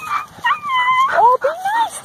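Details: Standard Poodle puppies playing in autumn leaves: high thin whining yips that rise and fall, with people talking and laughing nearby.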